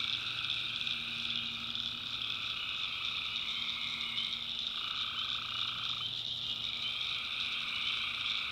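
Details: Night chorus of tree frogs in a North Carolina swamp, a continuous high shimmering trill with a separate mid-pitched caller cutting in and out around the middle, over a faint low hum.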